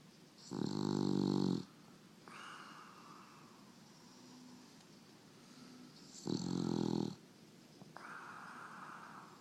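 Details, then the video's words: Sleeping female English Bulldog snoring indoors: two loud, rattling, pulsed inhaled snores about six seconds apart, each followed by a softer, higher wheezy exhale, with quiet breathing in between. "English Bulldog snoring"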